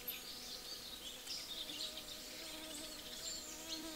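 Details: Honey bees busy feeding at breakfast. A steady, rich buzzing hum with several stacked tones, wavering slightly in pitch, carries through all four seconds, while small birds chirp and twitter high above it.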